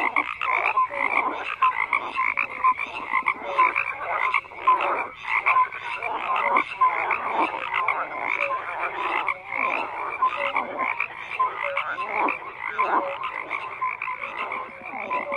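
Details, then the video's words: Dense frog chorus with many overlapping croaks, rasping pulses in the mid range and short tonal notes near one kilohertz recurring every second or so, no other sounds apparent. "FROGS CROAKING"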